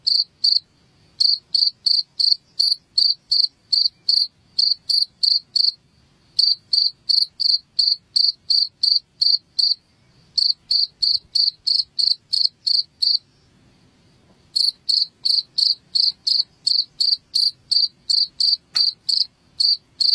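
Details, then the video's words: Chirps of a cricket used as a rat repellent at home: rapid, evenly spaced high-pitched pulses, roughly three per second, in long bursts separated by short gaps around six, ten and fourteen seconds. "SUARA JANGKRIK"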